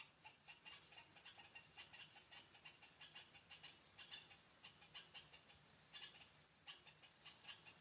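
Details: A squirrel chatters at dawn near a hammock camp above 10,000 ft off Devil's Playground Trail toward Pikes Peak, Colorado, amid sleet and snow, giving a quiet, rapid run of dry, scratchy chirps several times a second.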